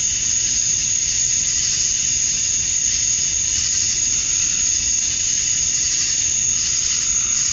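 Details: Cicadas at dusk on a summer night in Georgia, USA, males chirping for females; an intense high whine holds without pause, softly throbbing, against a low background rumble.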